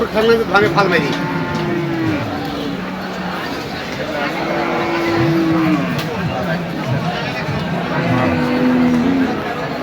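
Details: Cattle at the Hazratpur cattle market in 2025, large bulls on sale: several low drawn-out moos, some rising then falling, over crowd chatter and background music.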